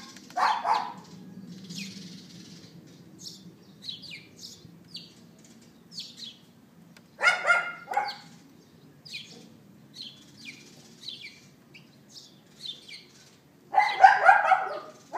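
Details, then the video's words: Neighbour's dog barking late in the morning of April 18th 2012 at 11:31 AM, recorded by iPhone 4S: single rough barks spaced several seconds apart, a short burst at the end, while small birds chirp steadily between them. "Dog Yapping"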